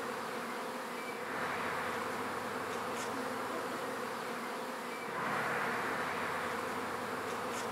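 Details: A honey bee swarm moving into a new hive, following the queen: an unbroken, thick buzzing drone of many bees at close range, swelling louder after five seconds, with no other sounds.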